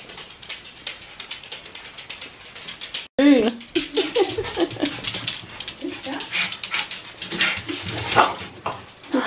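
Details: Bichon Frisé puppies from the V litter at a small kennel in Vejle, Denmark: after a brief break near three seconds, high wavering whines and short yelping whimpers with bending pitch come in bursts over a constant background rustle.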